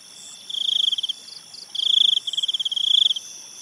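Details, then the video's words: Night-time cricket calls in an enchanted-forest ambience with a river: bursts of fast, evenly pulsed high trills, each lasting about half to one and a half seconds with short gaps, over a constant shrill background chorus. "cricket sounds and night ambience"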